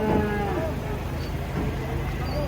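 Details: Giant cattle unloaded from a truck make a low, harmonic moo partly buried in crowd noise and background chatter.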